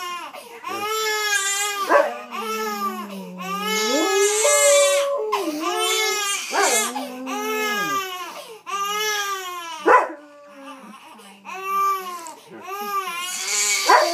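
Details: Old English Sheepdog named Molson howling while soothing a crying baby indoors; long sliding, wavering howls mix with the infant's loud harmonic wails and sobs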